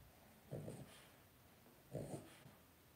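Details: Blenheim Cavalier King Charles Spaniel puppies aged two weeks, part of a litter of five in an indoor pen; two short nasal grunts about one and a half seconds apart against a quiet room.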